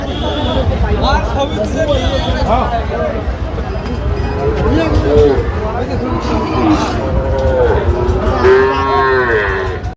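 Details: Young calves, around five to six months old, offered for sale in Bangladesh; repeated drawn-out bellowing moos, some rising at the end, over a steady hum of crowd noise and occasional voices.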